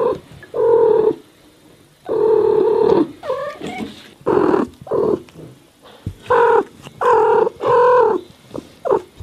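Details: Domestic cat from a collection of meowing American cats: loud, drawn-out, low and steady wailing calls, some a second long, in bursts separated by short pauses, with a few higher wavering cries in between.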